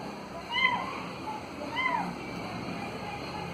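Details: Cat playing with a ball gives two short, rising-then-falling meows about a second apart, against a background of noise and voices.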